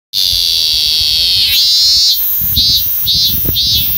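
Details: A Japanese cicada in Japan sings a loud, shrill, steady buzz that breaks into pulsing surges.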